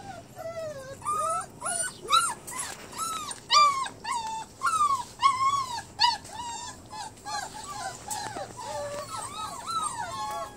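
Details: Mixed Bernese Mountain Dog and Great Pyrenees puppies at a meal shared with a kitten, a steady stream of thin, bending whines and squeaky yelps from several pups, some overlapping, with light clatter in the background.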